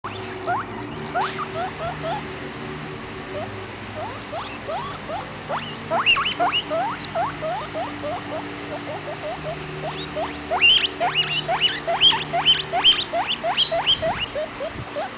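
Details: A baby guinea pig named Vitalis wheeks away, squealing in quick rising whistles that start soft and sparse, then grow louder and denser toward the end over a low steady hum.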